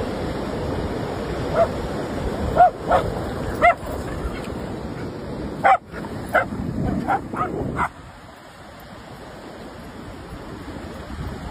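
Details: German Shepherd playing and having fun, giving a loose series of short, pitched barks and yips with an uneven rhythm for about six seconds, over a steady rushing noise like surf or wind that continues after the barking stops.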